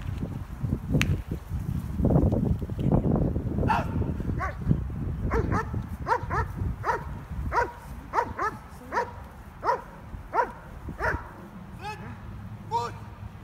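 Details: German Shepherd Stryder in his IPO1 trial protection routine: a rush of loud scuffling and rumbling noise first, then a long run of rapid, regular barks roughly one per second, fading slightly toward the end.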